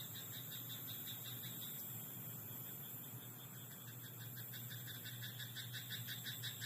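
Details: Frog croaking in a rice paddy at night: a quiet background hum gives way to a fast run of rapid, evenly spaced clicking pulses in the last few seconds, with a steady low drone throughout.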